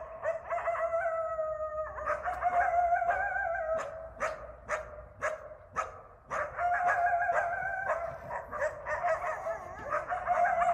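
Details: Nighttime chorus of eastern coyotes (coywolves) in a backyard in Bellingham, Massachusetts. Drawn-out, even-pitched howls alternate with a run of loud, clipped barks repeated roughly every half second, and several voices overlap.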